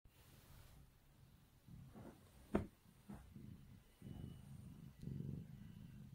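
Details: Kitten purring softly while its face is rubbed indoors, a quiet start giving way to low rumbling bursts in the second half, with one sharp click near the middle.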